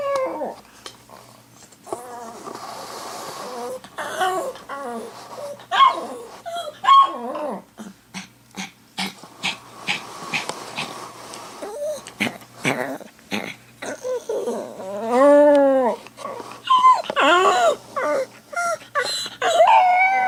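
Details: Pet dog left alone while its owner is away, whimpering and yipping in short broken bursts amid frequent sharp clicks and knocks, with a wavering, warbling howl rising and falling midway before more whines and yelps.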